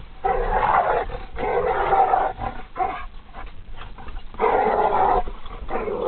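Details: Pitbull Harley and dachshund Lily fight with long, raspy growls lasting a second or more, a scuffling lull in the middle, then another sustained growl.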